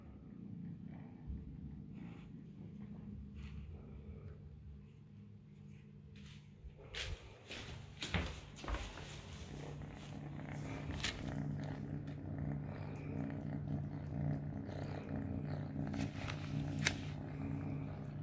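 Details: Three-month-old kitten eating mealworms indoors; a low steady purr builds through the second half, mixed with sharp clicks and crunching from chewing, after a quieter start.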